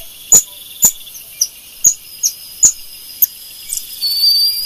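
Golden lion tamarin giving sharp, very high-pitched chirping calls repeated about every half second.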